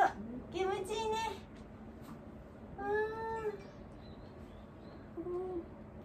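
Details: An elderly dog named Wanta, cared for at home, gives drawn-out moaning cries while awake. Two sustained, even-pitched wails about a second long are separated by a quiet gap, with a short third cry near the end, indoors.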